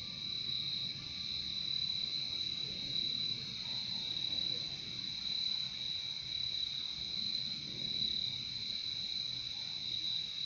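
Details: A continuous shrill cricket chorus from a nature recording, high and unwavering, layered over a weaker lower trill and gentle low ambient hiss.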